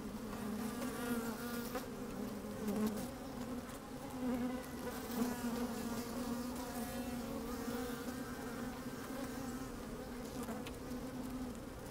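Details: A sunny day at an opened hive, microphone among the working honey bees: a strong, steady buzzing hum holding one low pitch, faint wavering overtones above and passing louder buzzes, with light wind noise.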